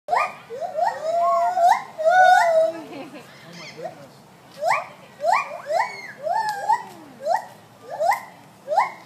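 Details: Gibbons at Sacramento Zoo sing loud, clear, swooping hoots, each note sliding steeply upward before breaking off, in rapid runs that fade briefly and then build again in a new bout.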